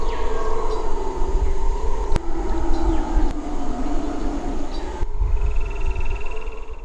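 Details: Deep rolling roars of red howler monkeys from Suriname keep up a dense, throbbing drone. Two sharp clicks cut through the roars, and a thin trilled bird call sounds near the end.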